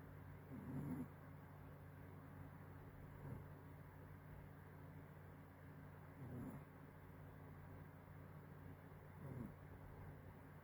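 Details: A 6-month-old puppy snores quietly, low breathy rumbles recurring roughly every three seconds against a constant low background hum.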